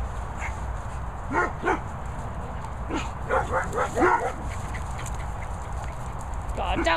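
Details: Guard dogs at Bumble Hole kennels, set in the Worcestershire countryside, barking in a lively burst. Clustered barks and yelps run from about one to four seconds, with a low rumbling hum throughout and a faint call near the end.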